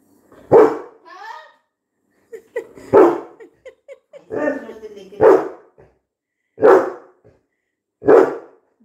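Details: A Labrador Retriever barks at someone it saw on TV, giving five loud, deep barks about every one and a half seconds, with a person talking quietly between them.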